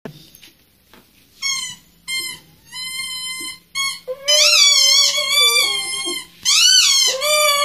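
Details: Siberian Husky whining after hearing her squeaky toy, seeming to think it is real; a few short high toy squeaks come first, then long quavering cries mixed with further squeaks and a woman talking in Spanish.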